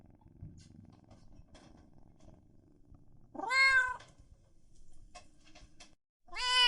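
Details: Domestic cat or kitten meowing loudly indoors: after a few quiet seconds of faint rustling and ticking, one drawn-out rising-then-falling meow, then a second meow starting just as the recording ends.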